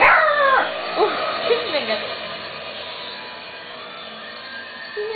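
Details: Chow Chow named Choco Boo playing with a sandwich bag, giving a string of high falling whines and yelps in the first two seconds, then quieter background with rustling, a short yip near the end.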